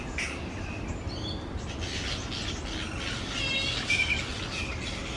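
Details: Grey-headed flying foxes, a large noisy colony of fruit bats hanging upside down in tree branches; harsh, scratchy squabbling bursts with a brief harmonic squeal near the end, over a steady low rumble of wind or background noise.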